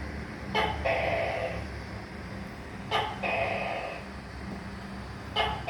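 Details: A tokay gecko gives two full calls, each a crisp click followed by a buzzing, drawn-out, softly dropping note. A third call begins at the very end, over a low background rumble.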